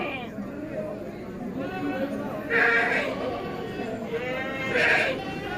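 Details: Bligon semi-Jawa Randu breeding goats, males and females, in Java, Indonesia: two loud, wavering, harmonic bleats about two seconds apart, each under half a second, over a man talking steadily in Javanese.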